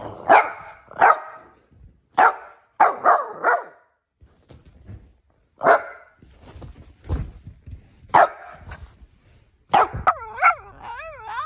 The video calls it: One minute of an adorable Boston Terrier barking